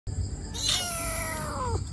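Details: Lost homeless baby kitten on the street crying for her mother; one long, high meow slides steadily downward for over a second against a constant low background rumble.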